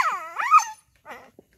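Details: Injured pet dog giving a drawn-out, high, rising and falling whine, then a shorter quieter whimper after a brief pause.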